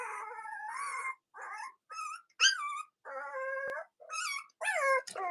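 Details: Cavalier King Charles Spaniel puppies on a live stream, on a chilly Monday morning near Halloween, giving a run of high whiny whimpers and yelps in short bursts, some rising and falling, with brief pauses between.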